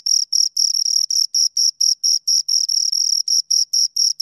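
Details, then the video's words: Crickets, two of them, chirping loudly and high, pulses slightly longer and less even here, some bursts running together, about four per second, with no other noise. "Two Crickets Chirp Sounds"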